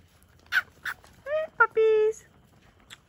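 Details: Whippet puppy, one of a 4 to 6 week old litter playing outdoors, gives drawn-out whining yelps, steady and high, after a couple of short sharp sounds, between a person's calls to the pups.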